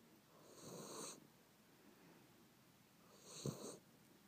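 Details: A sleeping dog named Chacha gives two gentle, raspy snoring breaths, each about half a second long and about two and a half seconds apart, in a quiet room.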